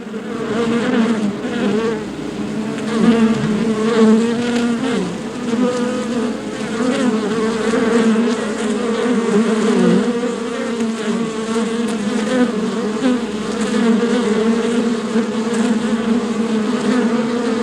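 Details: Bee. Many bees fill the air with a constant, layered drone, their wingbeats blending into a low humming buzz. The pitch wavers slightly as individuals pass closer or farther, but the swarm's hum never lets up.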